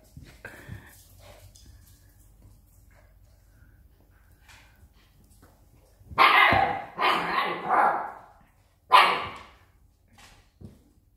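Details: Two Siberian Husky pups fighting over the same toy: a quiet stretch with faint rustling, then three loud, harsh, rasping vocal bursts close together near the end, followed by a short softer one.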